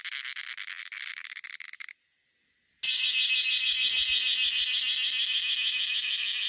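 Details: In a coffee plantation in India, cicadas shrill in a dense, high buzzing chorus that cuts out briefly, then returns louder.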